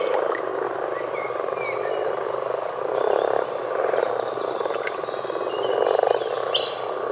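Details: Common frogs in a dense chorus, a steady low purring croak that swells and fades without a break, with thin bird whistles and chirps scattered above it.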